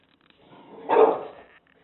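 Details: English Bulldog confronting a taco box gives one short, rough bark that swells and fades over about half a second, with faint quieter huffs before and after.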